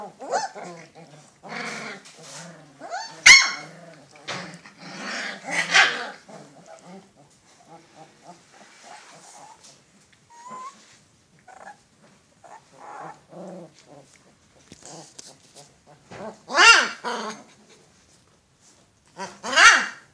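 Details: Alaskan Malamute. Young Alaskan Malamutes keep up a scrappy chatter of high whines, yelps and small barks broken by low rumbling growls. A few louder bursts of barking stand out among the softer puppy noises.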